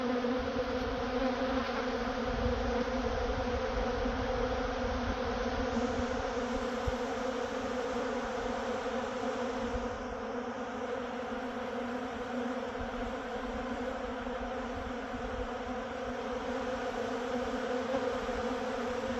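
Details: Honey bees at a honey farm in Manitoba, Canada: a steady, dense droning hum of many wings, layered low buzzing tones holding without pause throughout, slight swells in intensity but no breaks.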